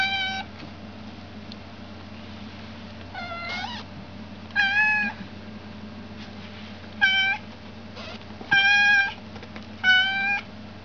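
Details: An American Shorthair kitten meows about six times. The calls are short, flat and tonal, coming every one to two seconds at uneven intervals. A constant low hum sits in the background of a quiet room.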